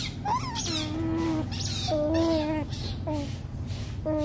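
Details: Young Rottweiler puppies scuffling with each other: thin, wavering whines that rise and dip, several in quick succession, against a steady low background rumble.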